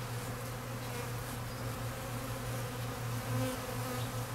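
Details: Swarm of honey bees feeding at an open feeder set out to keep the colony from starving in a cold spell; a dense, loud, continuous low buzz that swells slightly near the end.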